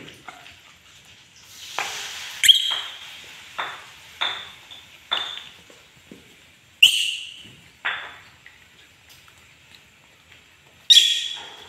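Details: Pet monkey in an angry mood, uttering a series of sharp, high, piercing shrieks at irregular intervals of roughly one to two seconds, each one clipped and quickly decaying, with a few louder peaks.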